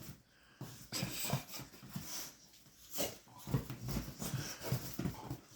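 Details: Chihuahua puppy named Eddie playing indoors on a couch with a bigger dog named Bullet; low grumbling play growls and snorty, wheezing breaths come in short bursts, with soft rustling of bodies on cushions.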